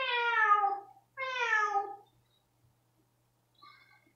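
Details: ['Rosetta, a pet cat upset by a flea and tick pipette treatment, gives two loud harmonic meows about a second each, falling in pitch at the end, then a faint short cry after a pause.']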